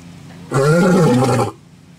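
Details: Single loud lion roar lasting about one second: harsh, rich and rasping, with a slightly falling pitch, then quiet.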